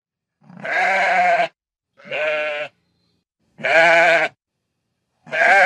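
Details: Sheep bleating in a rural field setting: four wavering, nasal bleats about a second long each, separated by short silences, with no other sounds.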